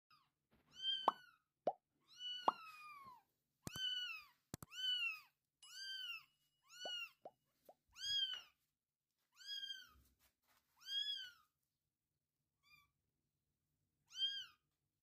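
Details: Domestic cat setting, a mother cat with adopted kittens indoors: high-pitched, arched, harmonic mews, each about half a second, repeated steadily around a dozen times over fifteen seconds with short gaps, plus a few sharp clicks and taps.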